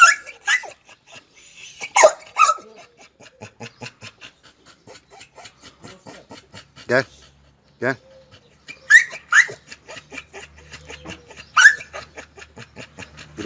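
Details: Oscar, a red-nose pit bull, brought together again with the chocolate red-nose pit bull Müdür for mating. Scattered sharp barks and yelps break up long quiet stretches, with a man speaking Turkish between them.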